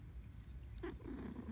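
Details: A pet cat is talked to. It purrs with a steady low throbbing rumble throughout and makes one brief, soft nasal vocal sound partway through.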